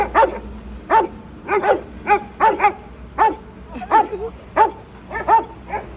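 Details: A Rottweiler barks aggressively from a pickup truck on a highway, in deep, harsh bursts, roughly one or two each second.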